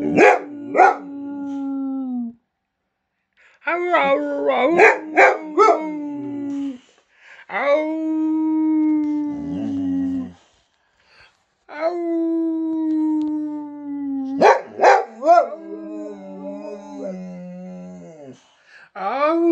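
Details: A male Boxer dog in Sweden howls in long, wavering tones broken by short yips, barks and grumbles, "talking" back and forth with his owner.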